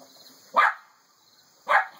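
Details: Boston Terrier puppies giving two sharp, short barks about a second apart, with near silence in between.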